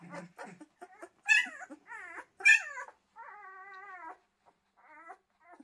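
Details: Whining Pyrenean Mountain Dog puppies: wavering, tonal whimpers, some sliding up and down, two louder squealing cries, then a long steady whine held for about a second before shorter whimpers.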